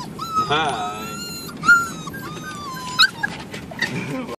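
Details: A two-month-old mixed-breed puppy still living in the carpark where he was born whimpers with thin, high whistled whines, some wavering, some held steady, over a steady background hum and a person's low voice.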